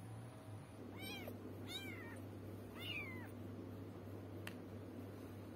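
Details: Kitten or cat heard in a product review of goat's milk for cats and kittens, giving three short rising-falling meows about a second apart against a steady low indoor hum.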